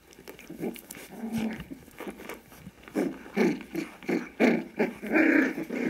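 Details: Five-week-old Kooikerhondje puppies from Quita's litter romping indoors; rough play growls and short grumbling yaps come in quick pulses, growing louder toward the end, with scuffling paws in a small room.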